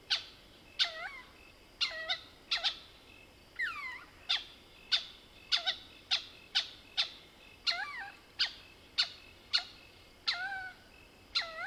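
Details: Mohol's bushbaby calling at night in the Soutpansberg range, South Africa: a busy run of sharp clucking clicks mixed with falling squeaky cries, nearly twenty bursts in quick succession; a thin insect whine runs underneath.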